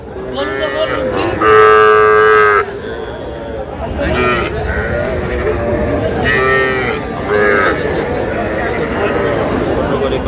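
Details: Sahiwal calves bought by a farmer from Shariatpur on 11 August: two full, tonal bawls about four seconds apart, each roughly a second long. Steady speech and background crowd noise run throughout.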